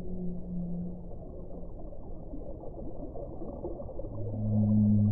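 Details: Deep whale moans: a low held tone at the start, then a quieter stretch of rumbling water noise before a louder, layered low moan with stacked harmonics closes the sequence.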